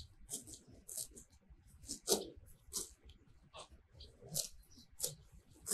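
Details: Happy cows eating fresh grass in a sunlit pasture, heard at very close range: rough ripping and crunching as grass is torn off, about two dozen bursts a minute at uneven intervals, no calls.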